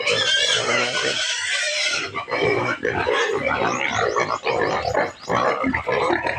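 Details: Impatient native pigs at feeding time, squealing as feed mixed with rice bran is prepared: a sustained, piercing squeal, then choppy, rapidly pulsing squeals and grunts with brief dips.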